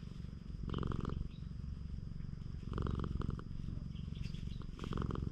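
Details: Stray cat on a cat island, petted by hand, captured with a GoPro HERO8. Close, pulsing purr at roughly three beats per second, overlaid by short bursts of fur-rubbing and stroking sounds.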